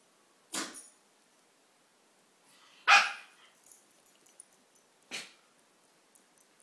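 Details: Maltese dog barking while playing with a Siamese cat: three short, sharp barks spaced about two seconds apart, separated by quiet gaps with faint light shuffling noises.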